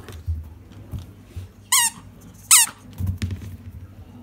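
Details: Indoors, a pet Miniature Schnauzer insists that a ball be thrown, giving two shrill, wavering squeaks about a second apart amid soft thumps and rustling.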